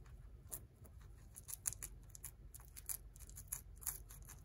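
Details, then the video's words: Guinea pig named Tot eating romaine lettuce, recorded close up for ASMR: crisp crunching clicks in quick irregular bursts over a low background hum. "Guinea Pig Eating Lettuce"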